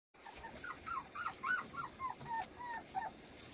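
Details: Dapple puppy whimpering in a rapid series of short, high, downward-bending whines, about three or four per second, over a faint background hiss.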